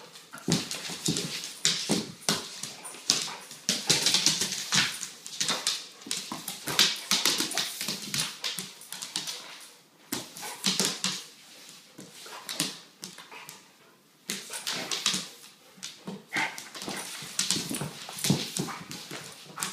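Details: Weimaraner mother and her 10-month-old male pup playing closely indoors, giving rapid yips, whines and short barks.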